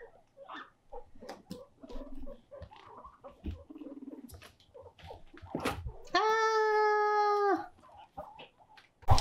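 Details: Lonely pet guinea pig left alone, living with other guinea pigs, crying loudly: soft scattered murmuring squeaks, then a strong flat sustained squeal about one and a half seconds long, ending with a sharp click.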